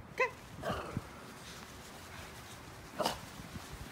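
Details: Senior Shih Tzu, one of two pets playing in the snow on a rare white Christmas in Vancouver in record cold: a short, high harmonic yip at the start, another brief yelp near the end, with soft rustling between.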